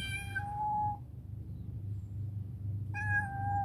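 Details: Rescued former stray black female cat, now affectionate, living in a warehouse and being offered food. It gives two clear, drawn-out mid-pitched meows, one at the start and one near the end, separated by a quiet pause over a low background hum.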